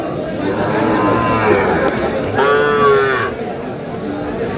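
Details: Cattle market in Kurigram on 3 March with Sahiwal bull calves for sale. A faint low lowing comes early, then a loud, rich, slightly falling moo lasts about a second, surrounded by men haggling and crowd noise.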